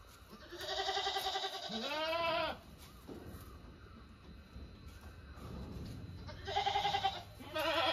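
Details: Farm goats giving loud, drawn-out wavering bleats, one long call near the start lasting about two seconds and another burst toward the end, with low rumbling background noise in between.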